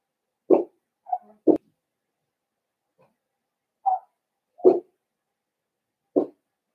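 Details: Indoor puppy pen holding five young Blenheim Cavalier King Charles Spaniels born at New Year's; brief low yips and gruff little barks sound at irregular intervals, with quiet pauses between them.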